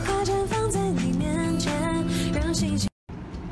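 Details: Loud music with sung melody and instruments plays throughout, then cuts to a brief silence and resumes faintly.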